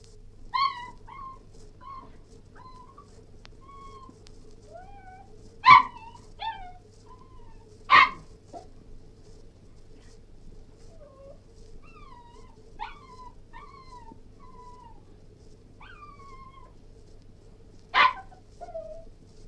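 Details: Cairn Terrier whining in thin, tonal whimpers that rise and fall, broken by a few sharp isolated barks spaced several seconds apart; steady low hum underneath.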